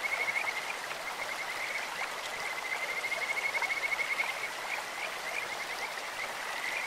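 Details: Kajika frogs in a clear stream, a voice like a bird's or an insect's: a steady string of high, sweet whistled notes, almost unbroken, over a loud background of rushing water.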